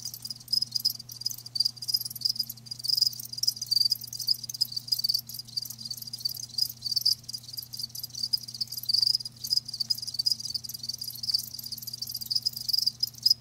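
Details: High-pitched cricket chirping, recorded live as natural-sound ASMR, runs continuously in rapid, even pulses, a busy shimmering trill with a faint steady hum in the background.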